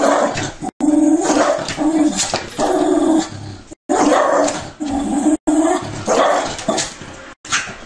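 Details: Pet dog reacting emotionally while watching TV: loud, strained whining yelps and barks rising and falling in long repeated bursts, with brief silent cuts between them.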